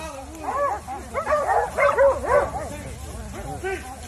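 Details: Several dogs outdoors at a field trial in North Carolina after catching a coyote, giving overlapping arched, yelping barks and howl-like bays that rise and fall in quick succession, with people talking underneath.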